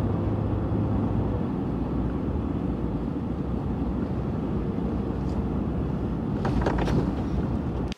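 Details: Steady low engine rumble fills the recording, with a few brief knocks near the end and no animal voice. Only broad vehicle-like noise is present throughout.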